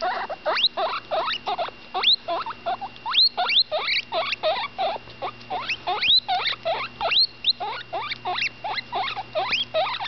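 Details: While eating, the ten-day-old female cavy Butterscotch keeps up fast, high squeaks that sweep steeply upward in close succession, a busy chirring run of many notes with little pause, accompanied by a steady low hum.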